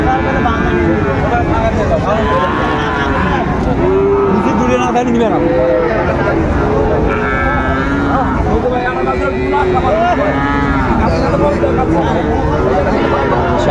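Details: Sahiwal bull calves at a cattle market in Chittagong, Bangladesh, on 16 September 2024, lowing in repeated, overlapping, arched moos throughout, amid loud crowd chatter and vehicle noise.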